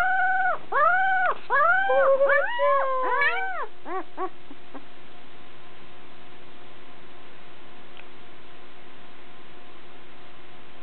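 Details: Newborn puppy a few days old, a brown male, the biggest of eleven in Molly's litter. He gives about a dozen quick arched whimpers and squeals, rising then falling, packed into the first four seconds before the room goes quiet.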